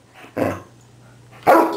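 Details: Happy dog in a small room barking twice, a muffled first bark then a loud harsh second one about a second later, over a low steady hum.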